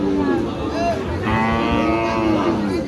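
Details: Sahiwal cattle at a cattle market giving a long, low, drawn-out moo that wavers slightly in pitch for almost three seconds, while men bargain over the price nearby.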